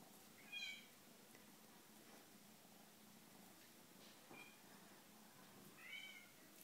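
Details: Eight-week-old male seal lynx marble Bengal kitten giving three short, faint, high meows spaced a few seconds apart in a quiet indoor room.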